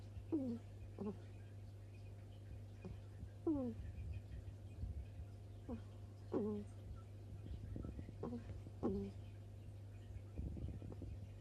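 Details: Sleeping baby hedgehog Monsuke, a new arrival, snoring in the middle of the night with a 'ku-ku-ku' sound: short, squeaky, downward-sliding notes repeated at uneven gaps of one to two seconds over a steady low indoor hum.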